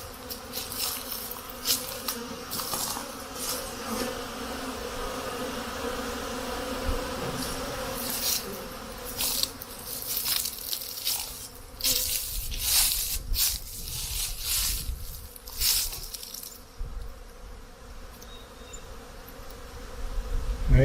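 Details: Honey bee hives in spring during a snowmelt, with the temperature at 50 degrees Fahrenheit; a continuous low hum of many bees, overlaid by bursts of crackling and rustling that fade toward the end.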